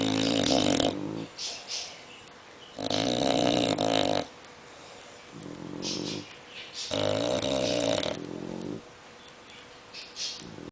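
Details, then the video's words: An English bulldog snores loudly, with a French bulldog's softer snores in between, as the two snore together. "English bulldog snoring together with french bulldog"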